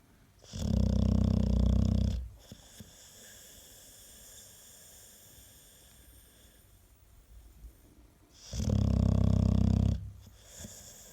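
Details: American Staffordshire Terrier asleep, loud enough to rival a spinning washing machine; two heavy, growly snores about eight seconds apart, each roughly one and a half seconds long, with soft breathing in the pauses.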